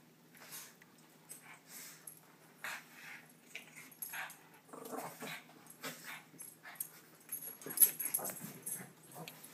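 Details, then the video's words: Two Shih Tzu dogs at play, one called Munchkin: soft snuffling grunts and low growly bursts come in short irregular clusters, with faint rustling between them. "Two Shih Tzu playing"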